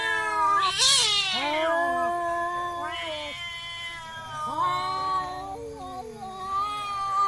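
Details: Village cats in a fight, harsh high screech at the start, then bent, wavering yowls and moaning cries that slide up and down, overlapping voices throughout.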